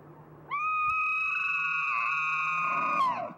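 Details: Bull elk bugle from the mating season, a clear, pure-toned whistle jumping up sharply and held level for about two and a half seconds, then dropping away in a short downward slide.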